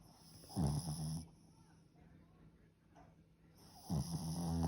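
A Boston Terrier snores in deep, rattling breaths, two loud inhalations separated by a quiet pause.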